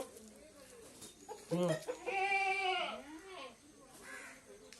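A goat gives a loud, wavering, nasal bleat, with brief human voices nearby.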